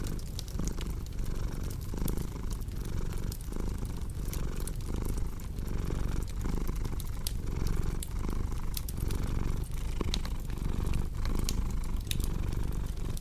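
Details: Cat purring over a crackling fireplace for sleep: a dense low rumble that throbs about once a second for the whole stretch, with many sharp clicks and snaps from the fire layered above.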